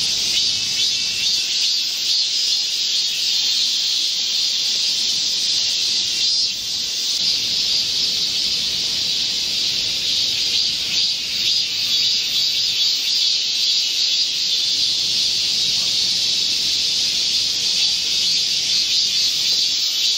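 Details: Korean cicadas chorusing in a midsummer green forest during a heat wave, 25 July 2024: a dense, steady, high buzzing drone that fills the whole recording, with gentle swells in loudness and no other clear sounds.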